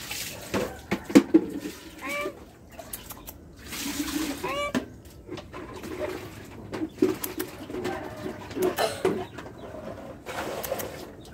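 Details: A cat gives two brief, curved meows a couple of seconds apart, fainter than the surrounding clatter of taps, knocks and splashing household noise.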